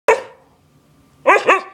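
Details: Siberian Husky dog indoors throwing a fit over food: a single sharp bark, a pause, then a quick double bark with a rising-falling tone.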